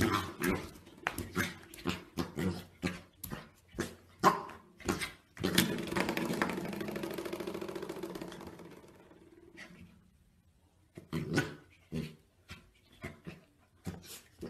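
A corgi makes a run of short barks and yips, then a drawn-out groaning whine.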